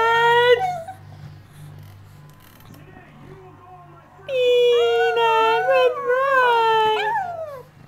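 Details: Pet Brussels Griffon 'singing' in a living room among four playing dogs. A short howl opens the recording, then after a quiet stretch come long, wavering howling notes that bend up and down. A steady low hum runs underneath.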